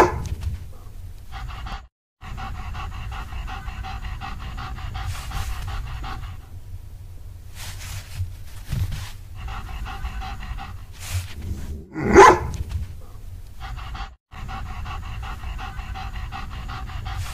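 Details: German Shepherd dog panting in quick regular rhythmic bursts, broken by short pauses, with a brief louder sharp sound near the middle.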